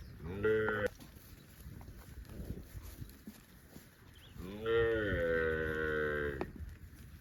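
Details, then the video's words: Cows roaming in the fields, with a brief loud moo opening the recording and a longer, drawn-out moo about four seconds later that rises slightly then holds steady, separated by quiet rural background. "COWS SOUND - Video of livestock Cows and Funny cow sounds roaming in the fields | Cows mooing"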